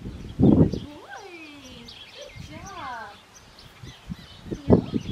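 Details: Six-week-old black tri male Australian Shepherd puppy at an Oklahoma breeding farm gives two short, high, sliding whines, the second with a wavering rise and fall, between bursts of human voices.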